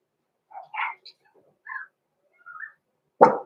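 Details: Blenheim Cavalier King Charles Spaniel pups, six weeks old, Roman and Blue in their home puppy pen, give a string of thin whimpers and squeaky yelps before ending on a single abrupt bark.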